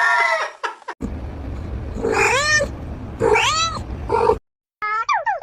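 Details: Domestic cat, a female reacting to the sight of soap, giving loud, wailing, arched meows, two long ones in the middle and shorter ones at start and end, with a low indoor hum beneath.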